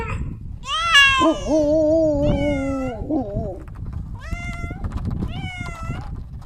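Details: Cat meowing over a low background rumble: a long wavering, drawn-out cry with a deeper overlapping voice, followed by two short rising-falling mews.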